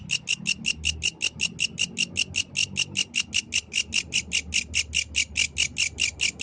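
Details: Night-time song of a yellow grasshopper outdoors, loud and close: a steady series of sharp, high rasping pulses repeated about six times a second without a break, faint low rumble beneath.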